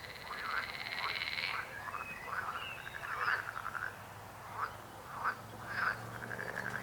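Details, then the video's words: Croaking frogs, a dense run of short rasping calls opened by a longer buzzing trill, with overlapping callers and brief gaps between bursts. "Rechot żab. Croaking frog sound."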